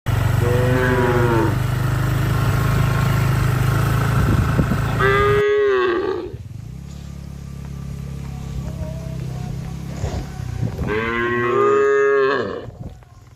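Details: Herd of cattle being driven away, giving drawn-out, harmonic moos near the start, middle and end, over a loud, steady low rumble that stops about halfway through.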